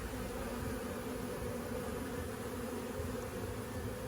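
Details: Honeybees on an open hive during a first-ever frame-by-frame inspection, producing an unbroken low drone, thick and even from start to finish, with no pauses or other voices.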